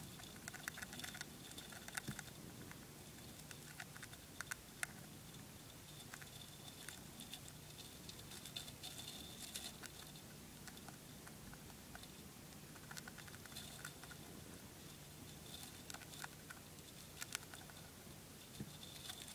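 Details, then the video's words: Dwarf hamster nibbling a bit of spray millet: soft, rapid crunching clicks scattered throughout at an uneven pace, with occasional sharper snaps over a steady low hiss. "Dwarf hamster eating a bit of spray millet"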